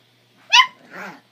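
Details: A single high, piercing yelp followed by a softer, rougher grunt. A 3-month-old Chihuahua puppy and a 13-year-old adult Chihuahua are tussling over a bone.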